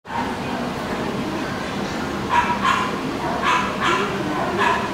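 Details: Papillon dog at a pet shop giving short sharp barks, mostly in quick pairs, over a steady loud indoor hum and background noise.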